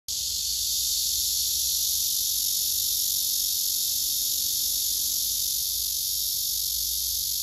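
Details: Male cicadas singing, one answering another loudly: a dense, steady, high-pitched electric buzz that holds without a break for the whole stretch, with a faint low rumble beneath.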